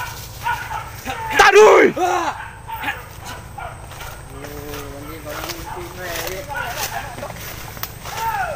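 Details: Hunting dogs on a wild boar chase through undergrowth; a loud, harsh, arched bark burst, then a run of fainter wavering yelps and howling cries from distant dogs over steady background noise.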